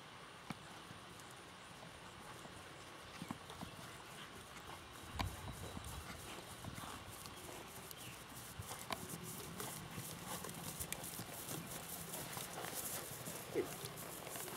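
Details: Ridden Missouri Fox Trotter male, saddle just tightened, moving along with a run of quick scattered hoof clicks and thuds that grow busier toward the end, over low background rumble.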